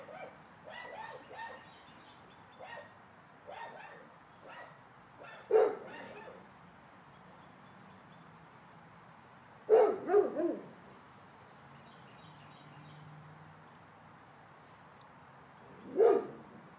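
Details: Male Rottweiler guarding the home from the backyard in a protection alarm test: a run of softer, quick barks at first, then three loud, deep bark bursts spaced several seconds apart, with a faint high hum behind.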